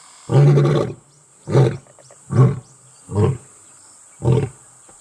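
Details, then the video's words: Wild male lion in Kruger National Park, South Africa, announcing his presence while in the company of a lioness; deep loud grunting roars in five bursts, the first longest, then shorter grunts roughly every 0.8 seconds, fading. "Male lion Announces Presence in Company of Lioness"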